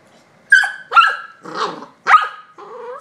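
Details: An 8-week-old golden retriever puppy gives four short, high yelping barks in about two seconds, each a sharp rising-then-falling burst, followed by a softer drawn-out whine; quiet room, no other sounds.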